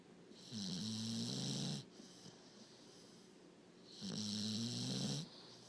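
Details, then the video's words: A puppy asleep, snoring in two drawn-out rasping breaths roughly two and a half seconds apart, low buzzy hum under a breathy hiss. "Snoring puppy"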